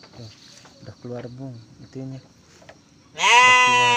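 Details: Garut ewe delivering triplets: several short spoken syllables, then a loud, sudden, harmonic bleat that holds for nearly a second at the close.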